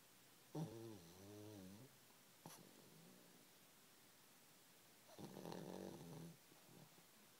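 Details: Pug asleep in a comfy blanket, snoring: two drawn-out, rasping snores with a wavering, ridged tone, each lasting over a second and separated by a quiet pause with a soft click between them.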